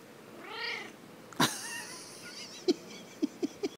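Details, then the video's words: A pet cat said to purr and meow at the same time gives one drawn-out meow that rises and falls, followed by a sharp click and several short, soft chirping blips. "My cat Meowurs"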